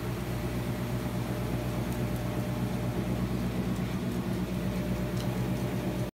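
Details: A washing machine churns with a steady low droning hum and broad mechanical noise throughout, with no animal sound heard.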